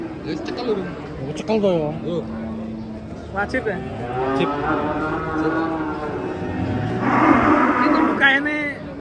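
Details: Cow wearing a mask, described as raging while being unloaded from a truck: a steady low moo drawn out for over a second, then further drawn-out lowing, mixed with men talking and shouting close by.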